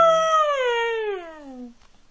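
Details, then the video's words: Siberian Husky indoors howling: a single clear, tonal howl starting high and sliding steadily downward over about 1.7 seconds, with rich harmonics, then fading out. "Howling and talking Kanu, Siberian Husky"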